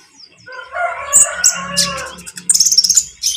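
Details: Speckled konin calling to young konin birds to get them to sound too, provoking rivals; a rough, harmonic drawn-out crow lasting about one and a half seconds, followed by a burst of sharp, high chirps and clicks.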